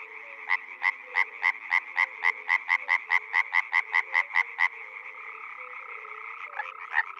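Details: Frog calling in spring at a pond or wetland in the Czech Republic: a fast run of sharp, bright croaks about three per second for four and a half seconds, then it stops, leaving a softer chorus of other frogs.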